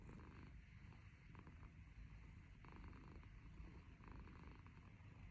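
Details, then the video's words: Black kitten snoring while kneading away: a low, steady rumbling purr-like drone with soft swelling pulses roughly every second and a half, close and quiet, nothing else audible. "The baby is snoring and kneading!"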